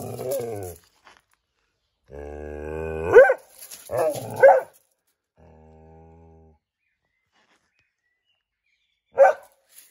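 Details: Dog hunting for squirrels, recorded 22 May 2021: a long, wavering, nasal whine rising into two loud barks, another low droning whine, then a final sharp bark after a few seconds of quiet.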